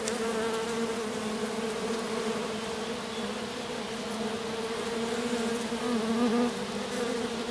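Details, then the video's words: Small honey bee swarm settled in grass, a handful of workers staying around a queen who landed there after the colony swarmed; steady droning buzz with a continuous low hum, a few faint clicks over it. "Abeilles. Petit essaim posé dans l'herbe"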